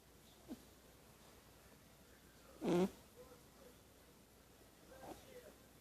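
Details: Kitten asleep and snoring, giving a single loud, buzzy, nasal snore midway, flanked by very faint breathing sounds against a quiet indoor background.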